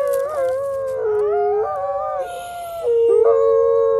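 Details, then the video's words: Three captive-born gray wolves, Zephyr, Alawa and Nikai, at a wolf conservation center in South Salem, New York, howl together in long, overlapping tones that waver and slide between pitches. Quiet-voiced Zephyr, who lost his voice, leads the chorus. "Wolf Who Lost His Voice Leads a Chorus of Howls 🐺🐺🐺"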